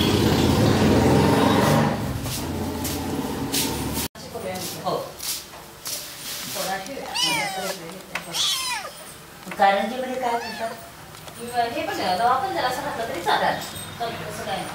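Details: Kittens meowing indoors, a series of high, curved, rising-and-falling mews clustered in the middle and end, with human speech throughout and a louder voice at the start.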